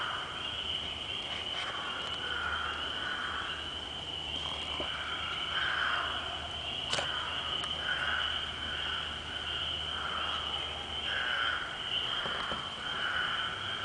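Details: Frogs described as big, calling in repeated short hoarse croaks roughly every one to two seconds, set against a constant high insect drone and a few sharp clicks.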